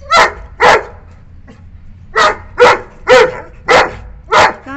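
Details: Furious barks from a nine-month-old Saint Bernard puppy that has spotted a wild cat: loud, rough, separate woofs spaced about half a second apart, with a short gap in the middle of the run.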